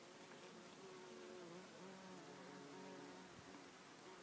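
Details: Bumblebees at a single flower, a low, steady droning buzz with wavering tones that rise and fall slightly, continuous throughout and heard against a faint background hiss.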